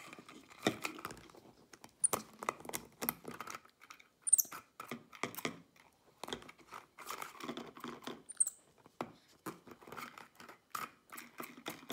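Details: Clicks, taps and crinkling of a plastic bottle being handled indoors in a small room, with sharp pattering knocks and a few brief high squeaks.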